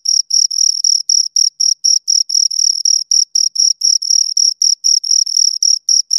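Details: Chirping from two crickets, bright high-pitched pulses in quick regular succession, roughly four per second, some chirps slightly longer, over a silent background.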